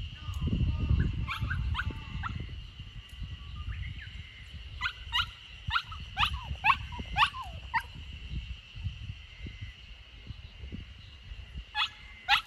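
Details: Samoyed puppy Lucky, 64 days old and on its third day at a new home, in a garden corner in Niseko, Hokkaido, Japan, on 3 June 2021 while escaping. High, thin whimpers slide downward in quick bursts over low rustling and a steady high hum.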